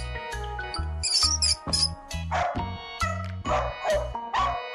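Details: Dog barking in short, sharp bursts, about five barks in the second half, over bouncy background music with a pulsing bass line.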